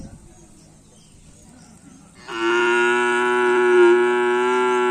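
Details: Racing cattle during Karapan Sapi bull race practice, a social gathering at the Asemanis field; after about two seconds of quiet outdoor background, a single long, loud, level moo starts and holds to the end.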